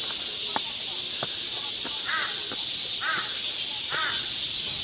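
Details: Cicadas fill a summer woodland at Galsan Park in Seoul's Yangcheon-gu with a continuous shrill drone, while a bird gives three short arched, nasal calls about a second apart.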